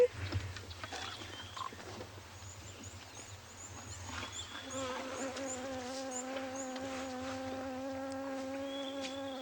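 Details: A fly's steady, droning buzz swells in midway and holds at a waterhole in Djuma Private Game Reserve, Sabi Sand, greater Kruger, South Africa, during a 12 May 2020 sunrise safari; high, thin bird chirps and a low rumble sit behind it.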